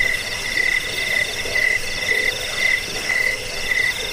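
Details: A cricket, played to repel rats, soothe sleep and teach songbirds, gives short bright chirps roughly twice a second over a soft background of other faint insect trilling.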